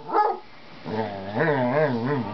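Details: A Basset Hound begging for a cat's friendship gives one short bark, then a long, low, wavering whine that rises and falls.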